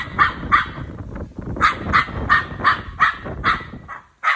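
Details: Rapid series of sharp dog barks, about two to three a second with a brief pause midway, against steady low-pitched background rumble.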